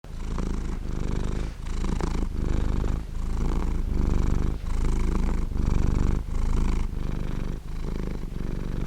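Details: A pet domestic cat's warm, round purr: a steady low rumble swelling and easing in breath cycles, with brief dips roughly every three-quarters of a second and no other sounds.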